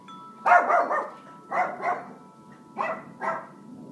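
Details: Mac, a family dog, barks while Buddy, a six-year-old African grey parrot friend, tries to quiet him: four harsh barks in two pairs, with wind chimes ringing softly behind.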